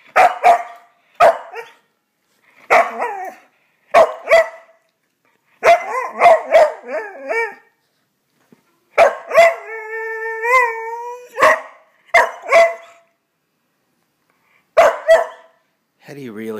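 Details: Murphy, a wheaten terrier, scolds Berkeley, a miniature schnauzer puppy, after couch wrestling: bursts of short, grumbling, bark-like vocalizations in clusters, with a drawn-out, wavering, whiny tone midway and quiet gaps between bouts.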